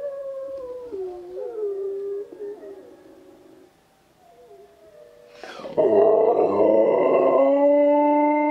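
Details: A husky cross German Shepherd dog answers howling wolves: a long, wavering mid-pitched howl sliding up and down, fading, then a loud, rich, sustained howl with strong harmonics rising after a brief pause.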